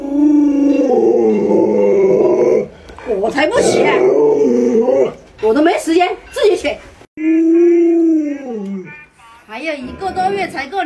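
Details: An Alaskan Malamute named Luoluo calls at a late-sleeping owner, wanting them up. Long, droning howls, one bending downward at its end, alternate with lively human speech and laughter in a small room.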